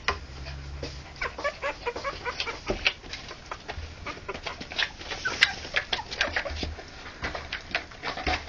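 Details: Three-week-old Harlequin poodle puppies, born October 28, 2009, giving a busy stream of short, high squeaks and whimpers that overlap and repeat rapidly throughout, with soft low rumbling and shuffling noises underneath.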